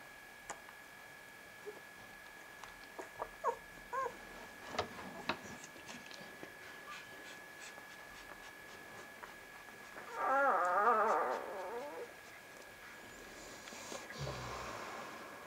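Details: Vizsla pups from Batai, recorded indoors on 10 January 2013: after scattered soft knocks and shuffles, one wavering, harmonic puppy whine rises and falls for about a second and a half, with a steady electrical hum underneath.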